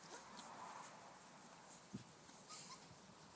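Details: Five-week-old Bouvier des Flandres puppies playing with their mother in a garden; faint, brief high whimpers and a soft thud over steady quiet background hiss.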